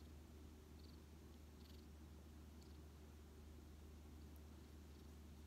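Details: Lap-sitting rescued white cat Shaorin, with odd-coloured eyes and saved in autumn 2018, gives a continuous, low, gentle purr, steady from start to finish and barely louder than the room.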